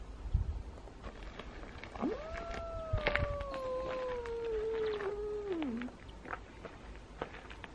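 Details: Domestic cat encounter between Elma, a small, timid two-year-old cat, and Kutvonen, the biggest cat in town: one long, drawn-out meow lasting about four seconds, holding steady then sliding down at the end, over faint rustling and scattered clicks.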